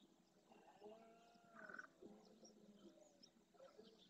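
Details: Red deer stag roaring at dawn during the rut in the Doñana National Park marsh, Andalusia, Spain, courting hinds and claiming territory and harem. A drawn-out, low harmonic groan rises and swells over a dense chorus of chirping birds.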